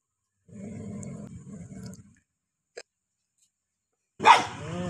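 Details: Two angry dogs: a low, rough, rumbling growl for about a second and a half, then a short pause and one sudden loud harsh bark at the end.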